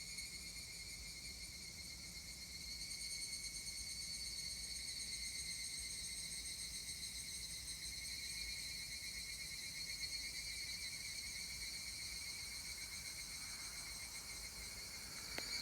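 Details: Higurashi cicada heard in Kotani, Mashiki Town, at 19:19 on 17 July 2020 (a Friday): a continuous shrill, ringing tone with fine rapid pulsing that holds steady throughout, over a soft rural background, with a faint click near the end.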